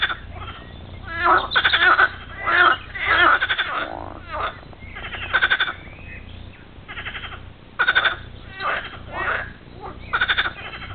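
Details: A chorus of bullfrogs at La Rialle, Saint-Laurent-du-Pape, Ardèche, France, gives throaty, pulsed croaks rising and falling in overlapping bursts.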